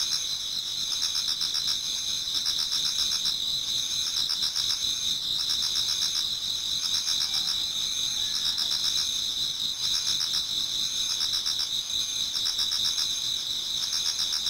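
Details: Japanese garden before dawn in autumn, filled with many singing insects: unbroken high trills, pulsing roughly four times a second, with shimmering overlapping voices and a steady background hiss.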